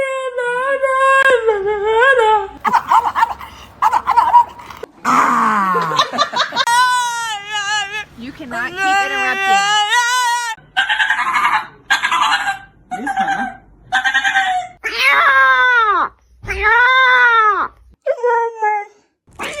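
A dog runs through a string of whines, yowls and howl-like calls, each bending up and down in pitch.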